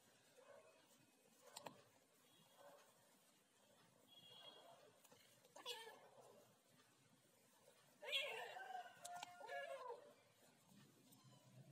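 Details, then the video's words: Ginger cat talking in short, scattered chirps and mews, ending in a louder, wavering meow near the close, with faint taps and room noise between calls. "talking ginger cat"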